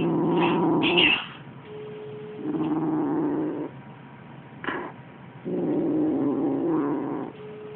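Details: Six-week-old Siamese kitten growling while killing a toy mouse for the first time, serious and concentrated; low, steady rumbling growls come in three long bursts of about one to two seconds each, separated by quieter pauses.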